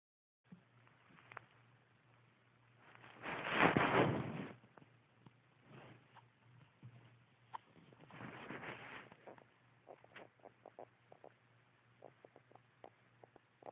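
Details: A sleeping dog snoring indoors: two long, rough, breathy snores about five seconds apart, the first louder, with soft ticking and rustling sounds between them.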